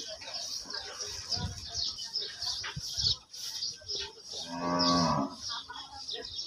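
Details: Cow at a Bangladeshi cattle market (cow bazar) lows once in a long, drawn-out moo with a rich stack of harmonics near the clip's end. It rises above constant crowd chatter, voices and high-pitched market din.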